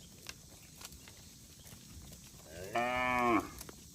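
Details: A single short harmonic moo from cattle of a herd wandering along a road, rising then steady for under a second, after a quiet stretch with faint ticking sounds.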